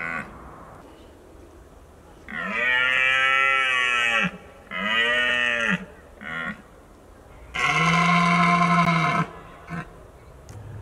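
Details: Red deer stags of Richmond in the autumn mating season: a series of hoarse, moaning roars, two long, then a short grunt, then another long bellow after a pause, over a quiet background.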